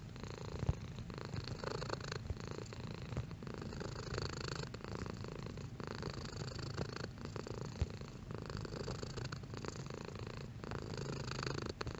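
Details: Pet cat purring, one of several intensities recorded: continuous deep vibrating drone, gently swelling and fading with each inhale and exhale, in a quiet setting.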